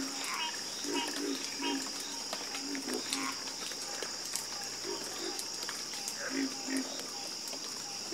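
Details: Frogs croaking in a harmonious chorus, clusters of low croaks separated by brief gaps, with an unbroken high-pitched insect whine throughout.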